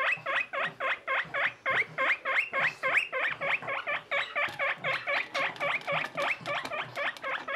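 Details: Baby skinny guinea pig with another young guinea pig companion, kept as pets; a steady run of sharp, bright squeaks, about four per second, each rising then dropping, continuing without pause through the whole stretch with faint rustling underneath.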